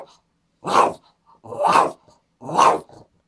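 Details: Boston Terrier worked up indoors while the owner stares at a computer screen; three drawn-out, growly bark-grumbles roughly once a second, with faint soft clicks between.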